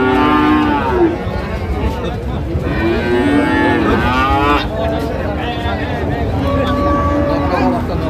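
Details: Friesian and crossbred bull calves at the Ambari cattle market (haat) in Dinajpur on 23 July 2025: overlapping, drawn-out lowing moos with rich harmonics, one after another, over a steady din of market chatter and voices.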